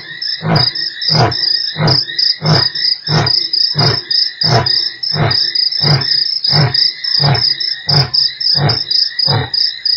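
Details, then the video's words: Lion roar recorded at Nkorho on 3 March: a rapid series of deep, short grunts roughly every half second, loud and regular, under a continuous shrill chorus of crickets. "lion roars"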